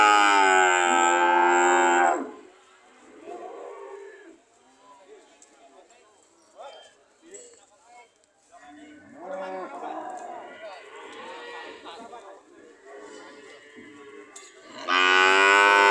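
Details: Cows ready to leave: a loud bright moo opens, followed by quieter grumbling moos and background murmurs, then another loud moo starts at the end.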